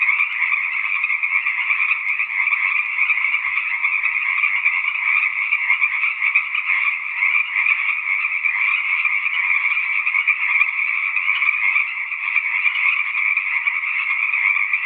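Tree frogs trill and chirp together in a dense, unbroken chorus that never pauses.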